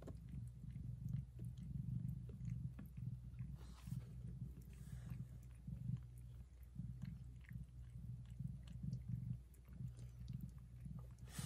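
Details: Mother cat purring very loudly while licking, caring for and feeding her tiny newborn kittens indoors; a deep, steady rumbling purr runs through the whole recording, swelling and easing in regular breath pulses, with soft licking clicks.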